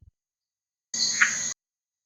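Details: A male red-eyed tree frog (Agalychnis callidryas) in Costa Rica's tropical lowland rainforest gives one short, single-note croak. This is the advertisement call, announcing himself to females and rivals.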